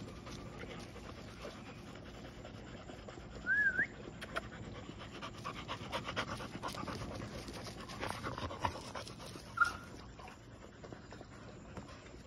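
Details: Golden Retrievers at night, breathing in soft, steady panting with two short high squeaky whines near the fourth and tenth seconds, over a faint constant background hiss.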